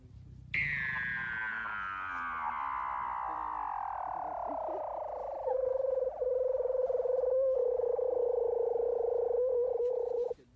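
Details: A Weddell seal in Antarctica vocalizes while sleeping: a long, eerie whistle that glides steadily down in pitch for ten seconds.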